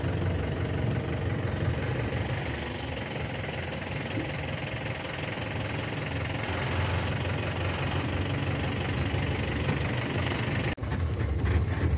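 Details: A steady idling vehicle engine rumbles throughout with a brief break near the end; no animal sound is heard.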